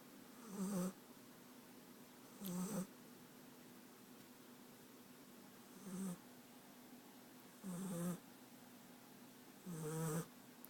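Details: Sleeping American Staffordshire Terrier puppy, France, from Rostov-on-Don, snoring in a quiet room; deep gravelly snorts about every two seconds, some longer and drawn out, with a breathy upper hiss.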